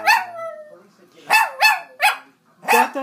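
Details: Pet Chihuahua singing along with its owner to the national anthem, opening with a sliding wavering howl, then short yelping tonal notes rising and falling, with a person's voice nearby.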